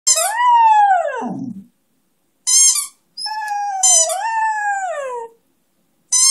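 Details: One-year-old Beagle-Schnauzer mix singing along with his favourite toy: a long rising-then-falling howl dropping into a low groan, a short high yelp, then a second sustained wavering howl sliding downward, ending with a brief high note.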